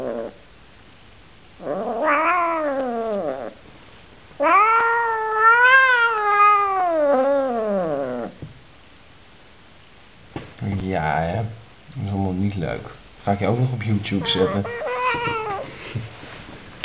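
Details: Vocal Oriental Shorthair cat, unhappy with a new housemate, lets out arching, rising-then-falling yowls with strong harmonics, then a burst of shorter, rougher, choppy cries and grumbles near the end, all loud and close.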